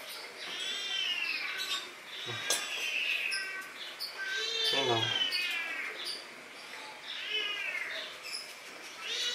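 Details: Tame Asian palm civet kept by its owner, being offered a drink: high, arching harmonic mews, several drawn-out whines repeated over about nine seconds, with a sharp click and a man's soft voice in between.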